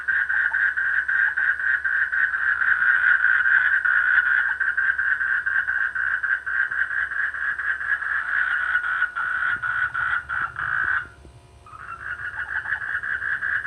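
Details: Rainy-season frogs in rice fields near a village, calling in a continuous raspy trilled chorus that stays steady, then breaks off briefly near the end before resuming; a faint low rumble like a passing vehicle underneath.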